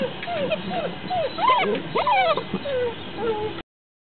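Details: Basset Hound puppies from a Polish kennel, shut in a pen, whimper and yip in thin, wavering whines that rise and fall in quick succession.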